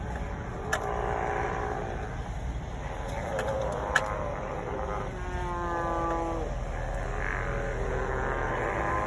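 A group of sea lions calls in overlapping, hoarse honks and longer moaning bellows, some sliding downward in pitch. A steady low rumble of surf or wind runs beneath the chorus.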